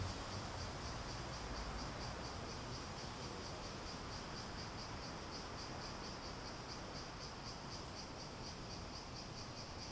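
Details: A continuous high insect drone from cicadas, beating rapidly and evenly for the full stretch, with diffuse low-frequency noise underneath.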